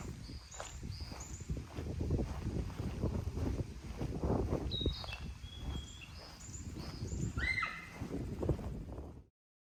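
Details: Honshu sika deer beside a roadside protection forest in Yuya, Nagato, Yamaguchi, Japan, June 2022, out of sight; one sharp, high, falling whistle near the end, amid steady low rumble and scattered thin bird chirps.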